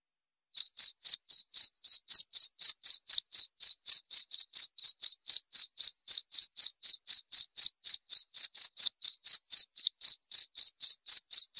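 A cricket chirps steadily, short pulsed bursts repeating about four times a second.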